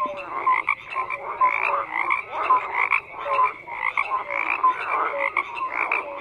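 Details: Frogs croaking in a dense chorus, many overlapping calls with short bright notes and rhythmic pulsed croaks that rise and fall in loudness, forming a steady layered night-pond texture with no other clear sounds.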